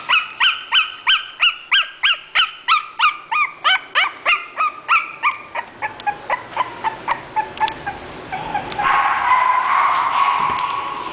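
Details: English bulldog from a breeder's sale listing, yelping rapidly in regular high-pitched bursts that gradually grow softer, before a rough, hissing background noise takes over in the final seconds.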